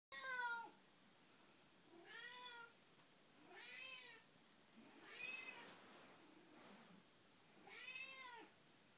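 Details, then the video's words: Betty, a domestic cat with Alzheimer's, gives her 6 am wake-up call indoors: five drawn-out, rising-then-falling meows, one about every one and a half seconds, in a quiet room. "Betty says Meow"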